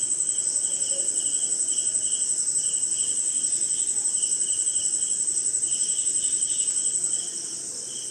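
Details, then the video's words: Crickets chirping on a rainy night somewhere in India, among other insects: a steady, very high shrill trill runs without a break, over a lower pulsing chirp that repeats in quick bursts. The chorus drops in level near the end. "Cricket & Swamp! Forest Sound"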